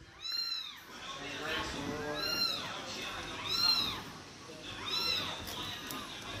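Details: Persian cats, one of a group being fed, meow again and again, one arched, wavering cry roughly every second or so, four or five in a row, while people chatter and laugh close by.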